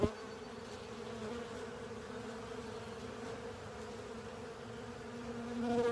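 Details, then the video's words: Honey bees joined by other insects clean a honey filter, producing an unbroken, mid-low humming drone of steady pitch that swells slightly louder in the final second. "Honey Bees & Pals Cleaning Up A Honey Filter"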